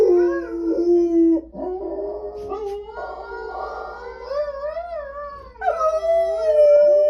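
A bulldog howls in long, wavering tones that slide up and down.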